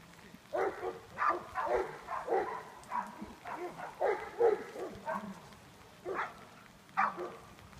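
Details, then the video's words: Outdoors while herding, Nash, a young Greater Swiss Mountain Dog working as a junior herd dog, lets out clustered short barks and yips. Dense bursts fill the first five seconds, then two isolated barks follow after a pause. "Junior Herd Dog - Nash, Greater Swiss Mountain Dog"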